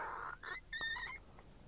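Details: Sookie, an 8-week-old female Maltipoo puppy, sits in a pet hospital parking lot, a little cranky just after getting her cast off. She gives thin, high whimpering whines in a few short bursts, some rising squeaky tones, over quiet background.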